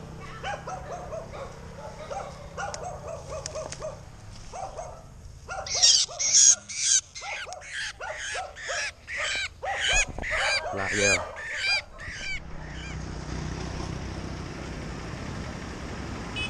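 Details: A civet on a power line about 6 m away gives a run of harsh, rasping bursts, about two each second, after a person's voice. Civet.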